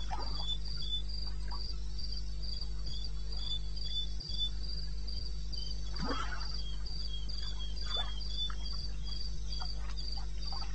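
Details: Crickets at night in eastern Botswana wilderness, 02:30 AM on 21 May 2016, keep up a rhythmic high chirping at about three and a half pulses per second, with a lower second caller, brief faint rustles and a steady low hum.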